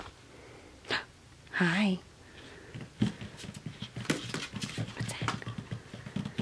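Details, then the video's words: Two male Finnish Spitz puppies, four weeks old, playing indoors: one gives a short wavering whine with a quivering pitch and rich overtones. A person then talks over it in a small room. "Finnish Spitz Puppies Playing - 4 Weeks Old"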